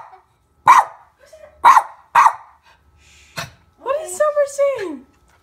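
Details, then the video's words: Pet dog barking beside a baby indoors: three loud, abrupt barks in quick succession within two seconds, followed by an adult's drawn-out, sing-song voice. "barking doggy"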